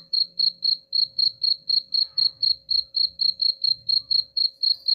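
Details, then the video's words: Cricket chirping meant to drive rats away, a steady run of high pulsed chirps at roughly four per second with no break, over a soft low background murmur. "suara jangkrik pengusir tikus ampuh"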